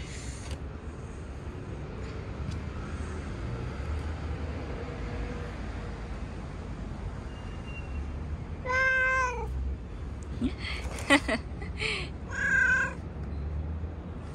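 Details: Stray cat being petted on a street, mostly low urban rumble until a single drawn-out meow past the middle, followed by brief scuffing sounds and another short cry.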